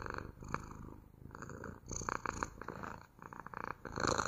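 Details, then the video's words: Pet cat purring at close range, an even low vibrating hum pulsing with each inhale and exhale, louder toward the end. "МУРЧАНИЕ | ПОЛЧАСА МУРЛЫКАЕТ КОШКА!"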